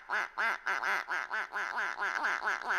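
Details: Chihuahua pups Hoover and Kirby, fostered in Weeki Wachee, Florida, crying in a rapid run of about eleven short, arched, nasal whining wails, roughly four each second, rising and falling in pitch, indoors.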